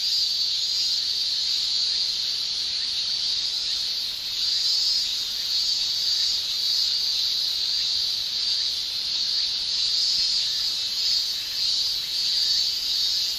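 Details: Shrilling male cicadas on a summer day in Japan, their tymbal song blending into one constant high, hissing buzz with slight rhythmic surges and dips in loudness throughout.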